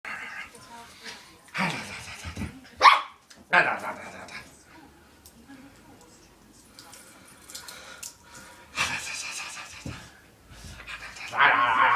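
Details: Jess the puppy at play gives a few short, sharp yaps with bright, harmonic-rich bursts, clustered early and again near the end, with quieter gaps between and people talking and laughing nearby.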